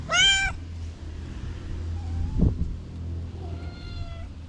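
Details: Orange cat rousing from a nap with big yawns: one loud, rising-falling meow at the start, then two quieter, long, flat mews, with a soft thud between them over low background hum.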